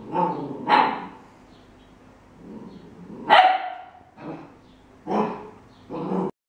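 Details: A 13-week-old Welsh Corgi puppy investigating a measuring cup gives bright, clipped, high barks and yips, some rising sharply, in an uneven series spaced a second or more apart.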